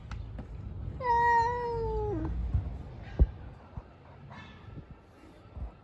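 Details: Fighting street cats: a single sustained, wavering yowl that gradually falls in pitch and breaks off, followed by a sharp knock and low background noise.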